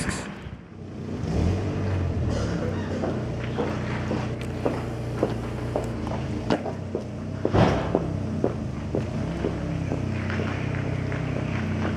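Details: Loud continuous engine-like rumble with wind and scattered clicks and knocks, no animal voice heard.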